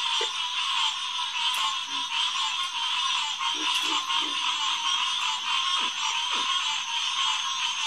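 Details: Night chorus of green tree frogs, Hyla cinerea, at a refuge headquarters pond on a June evening in 2021; continuous overlapping calls form a dense band, while scattered short low croaks punctuate the background.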